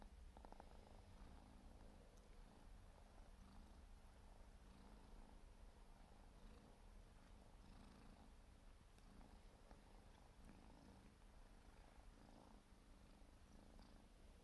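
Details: Siberian forest cat kitten, four months old, purring while grooming; a continuous deep, pulsing rumble holds steady for the whole stretch, with faint soft rustles over it.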